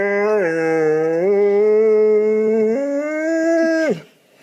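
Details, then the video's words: Dog giving a funny, weird noise: a long, smooth howl held for nearly four seconds, stepping up in pitch in two small jumps before cutting off abruptly into silence. "Funny Dogs' Noises!"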